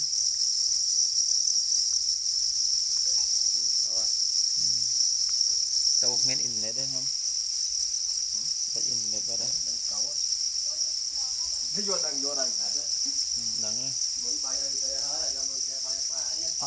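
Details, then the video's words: Angry black crickets guarding eggs keep up a constant high, shrill ringing trill, while intermittent lower wavering harmonic bursts recur irregularly, growing busier toward the end. "Black crickets or para crickets are crying angrily for their eggs"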